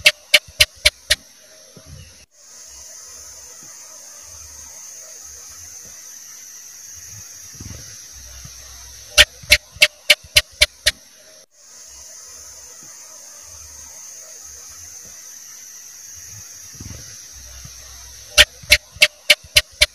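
A house gecko gives a quick series of sharp, dry clicking chirps, repeated in bursts.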